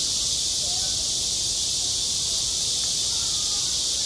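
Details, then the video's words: Cicadas singing on a school playground in midsummer: a dense, unbroken high buzzing hiss fills the whole clip at steady loudness, with no pauses or clear pulses, over a faint low background rumble. "한 여름 운동장에서 매미가 울고 있다 - 여름의 소리, 학교 종소리, 매미 울음소리"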